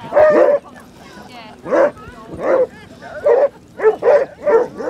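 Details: Basset Hounds on a group walk of 37 dogs along Exmouth beach, their 91st such walk: loud, deep baying barks in about seven bursts over five seconds, with faint human voices between.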